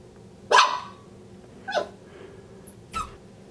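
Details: A frustrated Miniature Schnauzer puppy, stuck halfway through a cat door, lets out three short, sharp barks about a second apart. The first bark is loudest, with a quiet indoor room behind.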